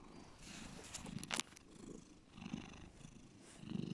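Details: Domestic cat giving a deep purr, quiet low pulsing rumbles coming in soft waves, with a brief sharp click or rustle partway through.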